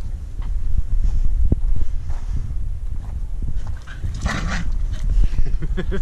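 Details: A female Staffordshire Bull Terrier gives a low, rumbling growl while guarding her stick from a person.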